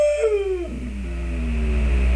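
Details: Pet dog indoors, coaxed by its owner to say hello, answers with a drawn-out howling whine: a high tone sliding down, then a lower wavering tone falling slowly and held to the end, over a steady low hum.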